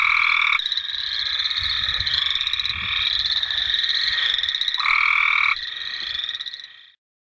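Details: Cope's gray treefrogs calling in a wetland give fast, harsh, buzzy trills in quick succession with overlapping callers; boreal chorus frogs and American toads also call.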